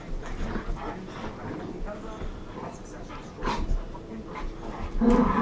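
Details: Three red standard poodles, two sisters and a daughter living together as housemates, playing; soft whimpers and panting over scuffling, with a louder yelp near the end and people's voices throughout.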